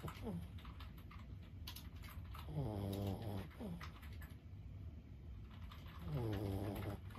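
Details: Lulu, a 15-year-old senior Boston Terrier, asleep indoors: two low, rumbling snores, each about a second long with a rattling texture, separated by quiet breathing, with sharp clicking taps scattered through the background.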